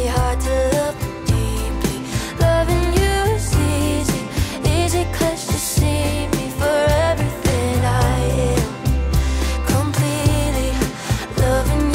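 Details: Pop-style music with singing plays steadily throughout, with no animal voices.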